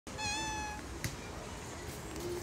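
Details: Hungry street cat wanting food gives one long, steady meow of under a second with a rich stack of harmonics, followed by a soft click and constant background hum.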